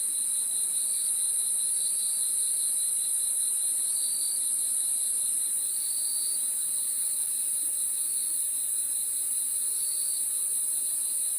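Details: Many crickets heard at night: a constant, shrill, ringing trill, plus a lower chirping strand with intermittent louder bursts, steady in volume throughout.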